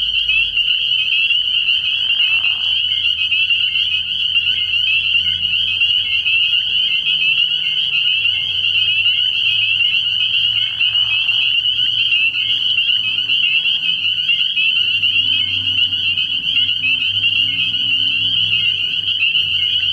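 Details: Frog pond at night in early spring, crowded with spring peepers whose high piping calls fuse into a constant ringing drone, with soft low rumbling and a couple of brief deeper calls beneath.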